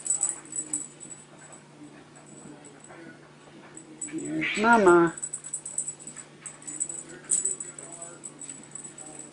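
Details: Young Bengal cats at teaser playtime, wearing collars, mother nearby: a single drawn-out, falling harmonic meow midway, amid steady high jingling and quiet household background.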